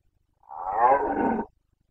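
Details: Single roar of a Carpathian red deer stag in rut, Bucovina, 2021 breeding season: a raspy, harmonic-rich bellow of about one second, building in loudness, steady through the middle, then cut off abruptly, with nothing else audible.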